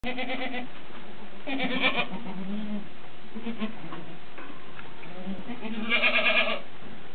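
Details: Alpine goats with a newborn kid suckling for the first time; short, nasal, wavering bleats come in three bursts over a steady low farmyard murmur, the last one the loudest.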